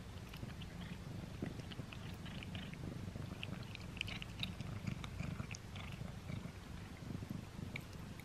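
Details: Close-up of the cat Simba eating a string cat treat for the first time: busy crackling bites and chewing clicks sit over a constant low purr.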